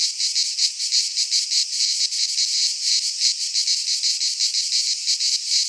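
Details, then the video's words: In a Greek pine forest in midsummer, cicadas sing a bright, harsh, shimmering buzz that swells and dips in quick beats, with no background sounds. "Cicadas singing in midsummer"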